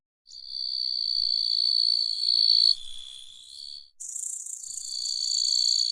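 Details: Grasshopper stridulating in a sustained, shrill, tonal buzz that holds steady, drops away briefly, then resumes as a harsher hissing burst before settling back into the piercing whine.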